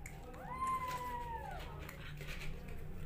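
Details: Rescue kittens competing for bottle feeding indoors; one kitten gives a single drawn-out mew lasting about a second, rising then gently falling with clear harmonics, over a low steady hum with faint room noise.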